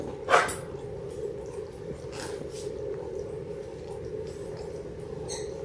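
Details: Six-week-old Labrador Retriever puppies, a litter of six born January 18, 2022, kept indoors under a puppy cam; one short, sharp yelp right at the start, then a steady low hum with faint rustling and shuffling.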